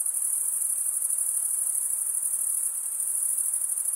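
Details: Crickets stridulating together in a rapid, high, buzzing trill with a faint fast pulse, constant from start to end and no other sound present.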